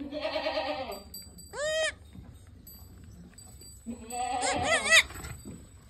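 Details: Totapuri goat, a doe with two kids, on a farm in Shankarganj, Jaunpur, India; a short flat bleat, then a high quavering one, then a longer trembling bleat, with a faint ringing tone behind.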